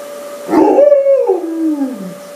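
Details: An Alaskan Malamute named Summo, freshly bathed, gives a brief howl that slides from a mid pitch down to a low, drawn-out moan.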